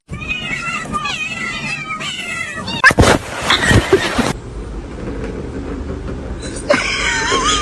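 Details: Kitten meowing indoors in a funny cat compilation, a few wavering harmonic mews over background chatter and a loud noisy burst in the middle, then a final rising mew.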